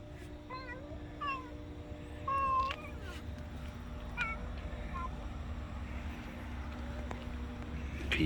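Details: A cat making odd sounds while feeling happy after eating, recorded 20 June 2023: several short, high, wavering chirped meows in the first five seconds, then quiet, with a steady low hum and brief human voices.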